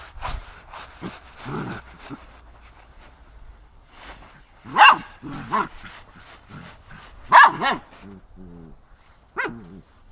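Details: Kaydo, a Samoyed dog playing in autumn leaves, lets out scattered loud barks mixed with softer yips and wavering whimpers, irregular over ten seconds with quiet gaps between bursts.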